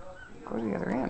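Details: A five-week-old puppy at playtime gives a brief whimpering whine. It starts after a quiet moment, then rises and wavers up and down in pitch for about half a second.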